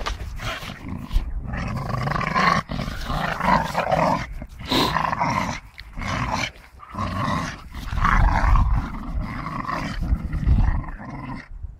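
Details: Growls from a Staffordshire bull terrier at play with a tyre: deep, gravelly rumbling that surges and fades in waves, broken by brief pauses and a few sharp knocks.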